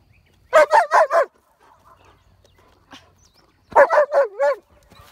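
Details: Jessie the dog barks at a horse in two rapid bursts of four yapping barks each, separated by about two and a half seconds of near quiet.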